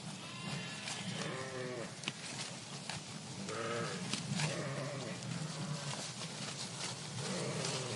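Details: [['Flock of sheep in a park calling back and forth, quavering bleats of varied pitch rising and falling, several voices overlapping, over constant low rumble and scattered clicks.']]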